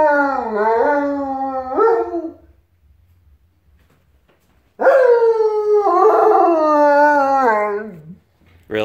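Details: Pet wolfdog howling in answer to a fennec fox calling in the morning before breakfast, indoors: two wavering howls that dip and rise in pitch, the second long and sliding downward at its end, with a person's voice nearby.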